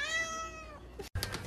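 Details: Pet cat giving a cute meow: one long, steady, clear harmonic meow lasting most of a second, then a brief gap and a burst of background music.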